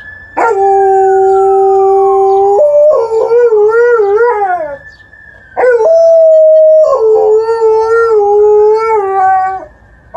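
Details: Liza, an Alaskan Malamute, howls in response to a passing ambulance siren on an emergency call: long tonal howls, held steady then wavering and sliding, in two drawn-out bouts, with the siren's steady wail running beneath.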